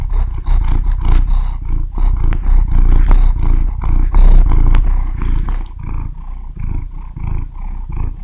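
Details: Close-up cat purr, a deep continuous rumble made of quick rhythmic pulses about three per second, swelling and easing slightly in loudness, with no other sounds.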